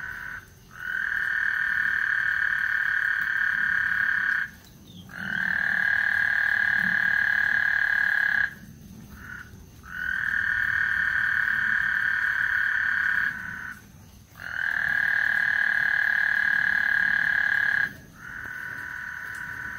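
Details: ['Frogs singing on Lake Houston ahead of a thunderstorm: a run of sustained, even trills lasting three to four seconds each, broken by brief gaps, with faint low rumbling behind.']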